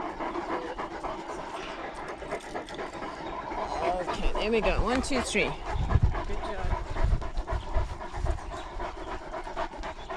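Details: Great Danes out on a lockdown walk, recorded on a GoPro dogcam: steady breathy panting at about four breaths a second, with a brief voiced, wavering sound in the middle and low thumping footsteps or handling noise throughout.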